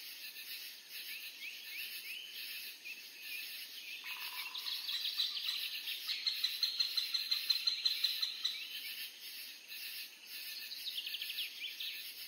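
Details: Katydid, or bush cricket, in natural scenery: a steady high-pitched buzzing chorus, with a louder, rapidly pulsed trill swelling in the middle and a brief lower chirp early on.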